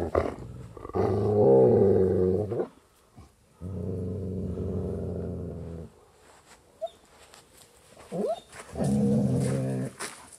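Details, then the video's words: Growling dogs recorded binaurally in 3D ambient sound: three separate long growls, each a couple of seconds of deep, raspy rumbling, separated by quieter gaps with faint shuffling and a small squeak. "CANI RINGHIOSI"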